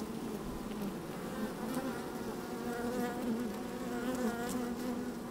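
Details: Honey bees busy inside an open hive on a fine day, microphone pushed down among the frames: continuous low droning with wavering buzzy tones rising and falling, and occasional soft taps.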